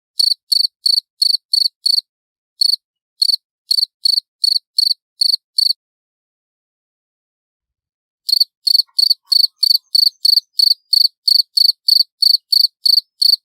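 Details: A cricket chirps clearly and loudly in runs of short pulsed notes about three per second, falls silent for nearly three seconds, then resumes a steady run; background otherwise quiet.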